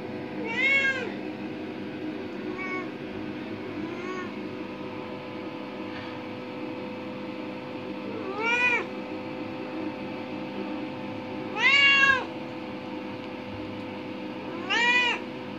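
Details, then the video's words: Curious indoor cat, five years and eight months old, sightseeing in a bathroom; repeated drawn-out meows, four loud ones and two softer, spaced irregularly a few seconds apart over a constant humming background. "Cat exploring the bathroom, almost falling in, licking and meowing"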